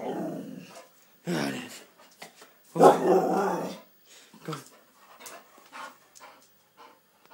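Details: A pet dog named Badger, indoors during training to balance on his back legs, gives harmonic growling grumbles in bursts at the start, around one and a half seconds and from three to four seconds, then softer short vocal sounds.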